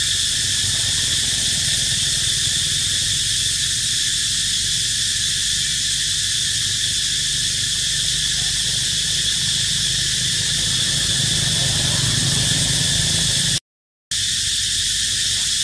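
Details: Cicadas sing a long, continuous, piercing high buzz at a steady level, briefly cut by a moment of silence near the end before the drone resumes.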